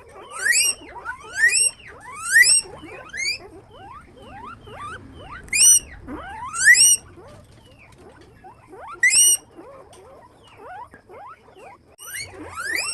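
Guinea pigs give shrill, rising squeaks in quick bursts, several in a row, then a pause.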